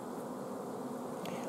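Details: Honey bee colony at an apiary on 14 June 2016, short of forage so the bees have blocked the queen from laying; dense steady hive hum, low and even throughout, with a faint brief tick near the end.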